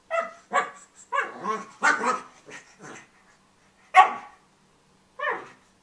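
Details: Pug puppy with his bone, letting out a quick run of high, sharp yips and barks, then a gap and two more isolated barks.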